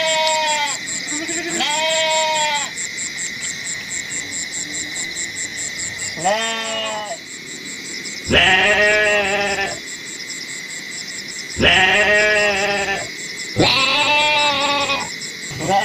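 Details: Goats bleating in a collection of goat sounds: six loud, quavering, nasal bleats, each about a second long, spaced irregularly with quiet gaps between. A steady high-pitched buzzing hum runs underneath throughout.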